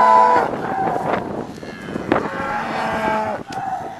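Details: Cattle in a mixed herd of cows, bulls and calves, recorded from the back of a pickup truck with cows all around; short harmonic moos at the start, then more lowing over a steady vehicle rumble.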